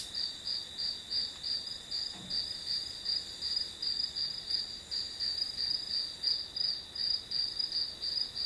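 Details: Grass insects chirping as study background noise: fast, slightly uneven high pulses near three per second over a sustained piercing tone, with a faint low thump midway.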